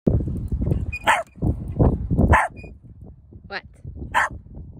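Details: A female corgi, just out of her cast, gives sharp, scattered barks to be let off the wagon she now dislikes riding, while a person talks nearby and says she may have needed to poop.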